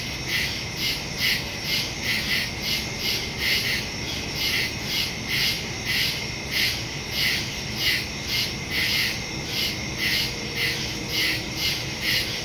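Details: Crickets in woods at night, recorded September 2 on a phone with a stereo microphone: a dense chorus of high, pulsing chirps repeating roughly twice a second, steady throughout with no other clear sounds.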